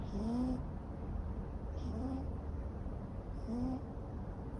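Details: Raga, a long-haired neutered male Ragamuffin cat born in 2014 and kept indoors, snores while asleep. A short, rising, nasal whistle-like tone returns about every 1.7 seconds, each paired with a breathy hiss, over a low steady room hum.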